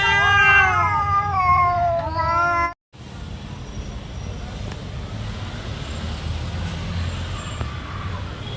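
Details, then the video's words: Domestic cat fighting over territory, a loud harmonic-rich yowl wavering and falling for under three seconds, then a cut to quieter background noise with only faint sounds. "cat making weird noise | cat fighting scene | cat territory place fight"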